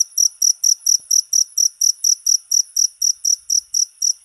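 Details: Rapid cricket chirps repeat evenly, roughly sixteen sharp, shrill pulses over four seconds, each a short high trill separated by brief silence, against a quiet background.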